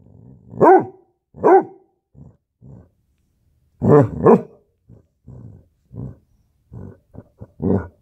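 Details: Basset Hound puppy in a standoff: two clear high barks, then a pair of louder barks, followed by low, rough growly grunts and short huffs.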